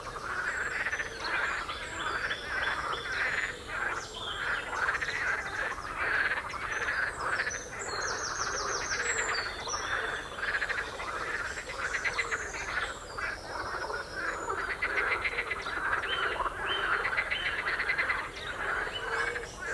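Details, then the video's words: Frogs croaking on the Royal Military Canal near West Hythe: a dense, continuous chorus of rattling, pulsed croaks from many frogs overlapping throughout, with a few high bird chirps on top. "Frogs croaking on Royal Military Canal"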